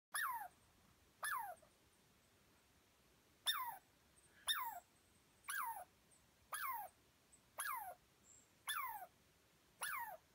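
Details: A squirrel in the North Cascades, chased up a tree by a dog and unhappy with their presence, scolds with sharp, downward-sliding chirps repeated roughly once a second with brief pauses.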